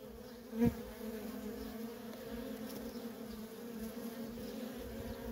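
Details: Worker honey bees in nonstop traffic at a feral colony: a steady low hum with a clear overtone above it. One bee zips close past the microphone early on in a short loud burst.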